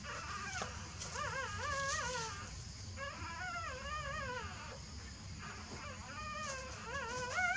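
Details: Newborn puppies sleeping, giving repeated high, wavering whines and squeaks that rise and fall in pitch, several overlapping, with a soft low rumble of background noise.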